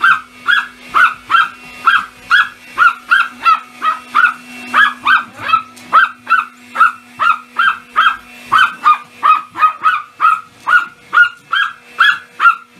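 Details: Pomeranian barking in excitement at a vacuum cleaner, lunging at it: high, sharp yaps repeated steadily, a little under one per second, with a faint steady machine hum underneath.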